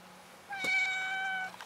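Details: Domestic cat giving a single drawn-out meow of about one second, steady and level in pitch with rich harmonics, in a quiet indoor setting between a person's soft greetings.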